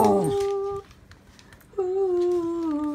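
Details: Corgi singing when asked by its owner: two sustained, smooth, tonal howled notes indoors, the first under a second long, then a pause, then a longer note that dips slightly lower, with a brief human voice at the start.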